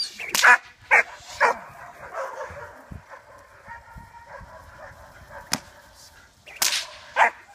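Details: Four-and-a-half-month-old German Shepherd puppy in early protection development training for sport work: three sharp barks in quick succession at the start, a quiet stretch, then two more barks near the end.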